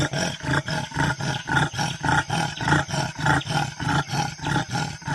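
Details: Leopard giving a steady train of deep, throaty grunts in an even beat, about two per second, each pulse rasping and low with a rolling, engine-like throb.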